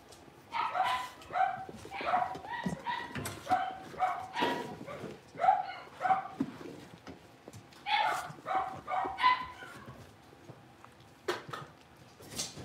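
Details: Blenheim Cavalier King Charles Spaniel puppies from a litter of five, born at New Year's, newly moved into a bigger pen, give a run of short, high harmonic yips in quick bursts, pausing briefly, then yipping again.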